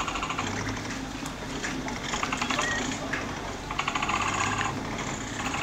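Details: Baby capybaras crowding around their mother to nurse at Nasu Animal Kingdom, Japan, recorded 4 July 2014; rapid buzzy clicking bursts, like a purring rattle, come in short overlapping runs over a steady low mechanical hum.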